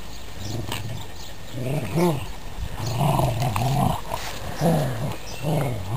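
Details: Pet dogs tugging on a sock in a tug-of-war game give deep, throaty growls in repeated surges, each swelling and fading every second or so, with faint scuffling noise underneath.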